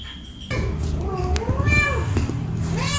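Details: Domestic cat angry at another cat gives a long, wavering meow that rises and falls, followed by a shorter rising mew, with a low hum and faint voices underneath.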